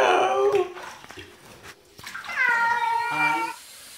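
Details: A cat makes weird noises: a loud falling meow, a pause with faint clicks, then a long, steady, drawn-out harmonic meow that cuts off abruptly.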